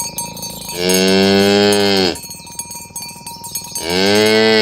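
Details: Morning herding of tame village cows toward the pen on rural roads: two loud, drawn-out moos, each over a second long and separated by a short pause filled with jingling cowbells.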